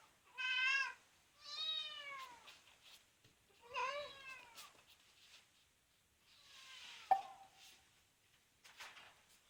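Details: Grown cat that was rescued as a kitten from a car being serviced meows repeatedly: several short rising-falling harmonic calls in quick succession, then a softer, noisier one with a click, in a quiet room.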